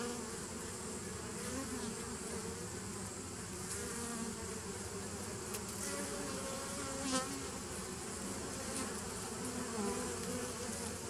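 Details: Bees recorded on 27 September 2018, a dense, unbroken hum of many wings with low droning bands and a steady level throughout, no pauses or single distinct caller.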